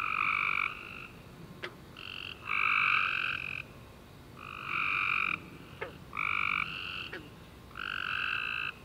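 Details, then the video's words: After a rainy summer day, tree frogs chirp in the dark: loud buzzy trills of roughly a second each trade off in quick succession, with short pauses and a few faint clicks between bursts. "Tree Frog Chorus After A Warm Rainy Day"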